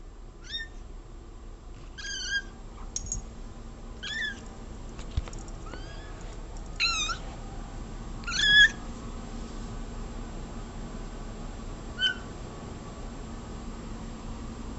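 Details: Domestic cat meowing again and again indoors: a series of short, bright, slightly rising-then-falling meows at irregular intervals, some strained and nasal, fading to sparse calls after nine seconds; steady low room hum underneath.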